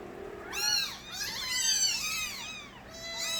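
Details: Loud crying of stray kittens born to the street cat Nabi: overlapping high, bright mews that rise and fall in arcs, several voices calling at once almost without pause.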